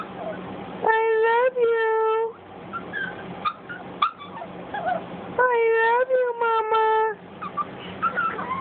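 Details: Puppy Cj, a Boston Terrier, talks to its owner with two yodel-like outbursts: clipped rapid notes leading into sustained, even-pitched moaning whines. Light tapping and rustling fill the gap between them.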